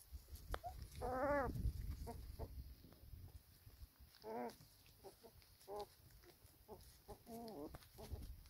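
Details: Four-week-old pedigree black Labrador Retriever pups with their mother, feeding in the sunshine; a few separate drawn-out nasal whines and squeaks spaced several seconds apart over soft background rustling.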